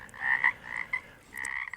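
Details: Several Pacific chorus frogs heard in a quiet Pacific Northwest setting, giving raspy croaks in two drawn-out bursts separated by a brief lull.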